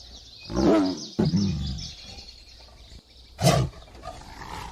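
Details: Tiger voice in a children's animal sounds lesson, two throaty roars close together then a third louder roar, with a faint high chirping bird in the background.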